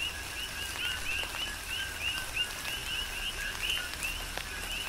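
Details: Coqui frogs calling during a tropical rain shower on the Big Island of Hawaii: a dense chorus of short two-part notes, a lower tone followed by an upward-sweeping whistled chirp, repeated rapidly by overlapping frogs, with steady rain and scattered raindrop ticks.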